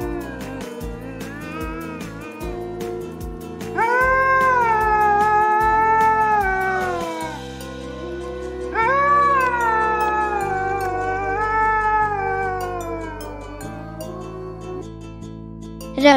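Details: A red wolf (Canis rufus) gives two long, wavering howls that rise, hold, then slowly fall, over background music.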